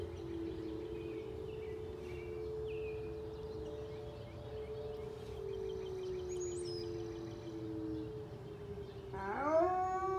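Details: Very high-content wolfdog indoors, howling at a monthly siren test on the first Monday of the month: a long, steady, slightly wavering tone held for about nine seconds, then a higher, harmonic-rich howl breaks in near the end.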